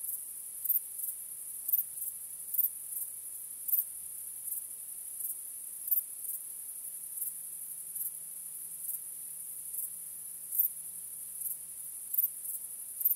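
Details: Crickets at night under the stars give a constant shrill, high chorus with regular louder chirps close to once a second. A faint low steady hum runs through the middle part.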